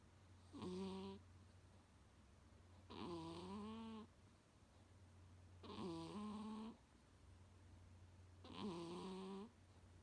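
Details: Munchkin cat snoring loudly indoors, snores said to resemble a middle-aged man's and loud enough to sometimes wake its owner; four rasping, tonal snores with wavering pitch, each under a second, about every 2.7 seconds over a steady low hum.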